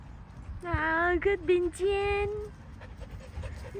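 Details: A Samoyed in summer gives a drawn-out, whining tonal vocalization, a steady moaning note broken into several segments over about two seconds, followed by quiet rustling and faint background noise.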